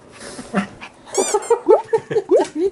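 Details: Pet toy poodle at home gives a run of short, loud whining yips. Each one is nasal and bends upward, about three or four per second. People laugh nearby.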